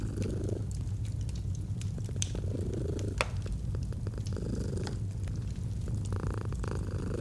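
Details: Domestic cat giving a gentle purr near a fireplace, cozy autumn mood; steady low rumble with periodic breathing swells, crackling fire and a few loud pops above it.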